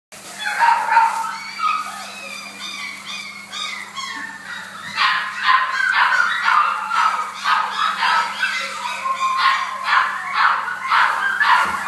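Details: Blenheim Cavalier King Charles Spaniel at the Dogcenter kennel, recorded 29 August 2012: high, tonal whines and yips in quick bursts, about two each second, some rising then falling, over a steady low electrical hum.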